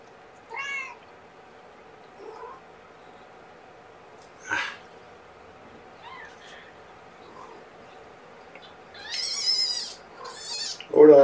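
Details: Young kittens of a litter born April 14th, indoors during a morning bottle feeding with KMR formula; scattered short harmonic meows, a high squeaky cluster near the end, with quiet human handling noises between.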